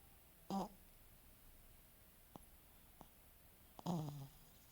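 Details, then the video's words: French Bulldog snoring indoors: two short, rough, buzzy snorts about three seconds apart, each under half a second, with faint clicks between them in a quiet room. "Lucek chrapie (French Bulldog snoring)"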